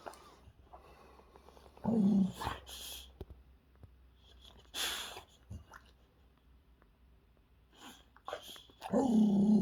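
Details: Boxer dog Zeta playing indoors with a squeaky toy: two low, rough growling grunts several seconds apart, separated by snorting, sneeze-like bursts of breath.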